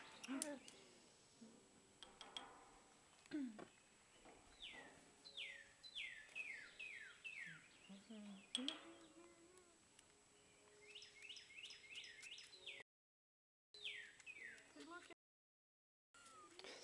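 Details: Hand-fed baby squirrels squeaking: series of thin, high, downward-sliding chirps in clusters, interspersed with quiet handling sounds and a few low tones, with short silent breaks near the end.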